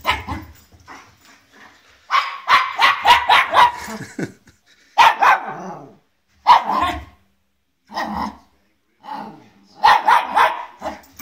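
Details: Welsh Terrier puppy, new to the family and nervous of an unfamiliar guitar, barking in bursts: a rapid run of sharp barks, then single and paired yaps every second or two, with faint human voices between.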